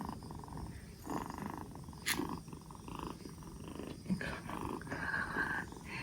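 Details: Black Bombay kitten, two months old, rescued four days earlier and recovering from a cold, purring in a soft, even rumble that swells and fades with each breath, with a short sharp click partway through.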